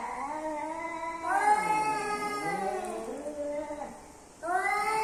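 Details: Male and female domestic cats meeting produce a drawn-out, warbling yowl that dips and rises in pitch, then a brief lull before another rising howl begins.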